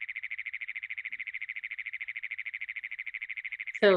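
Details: A Great Plains toad gives a long, harsh, mechanical trill held for a remarkably long time, like an engine that won't start.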